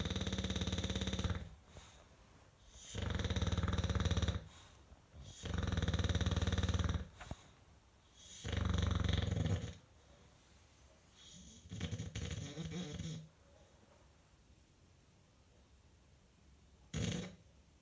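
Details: Five-year-old English Bulldog named John "Rambo" Von Lucky asleep and snoring loudly: deep, rattling snores in bursts every two to three seconds, five strong ones, fading to weaker, softer breaths near the end.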